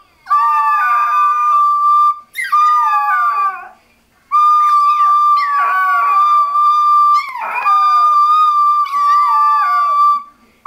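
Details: Chihuahua singing: long sustained howls on a steady high pitch, broken by wavering, sliding notes, three main phrases with short gaps between them, clear and tonal.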